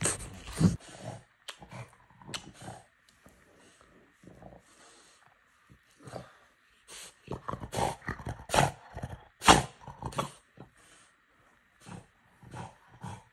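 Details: French Bulldog making irregular bursts of snorting and snuffling noises, with loud breathy puffs clustered near the start and again around the middle, separated by quieter pauses.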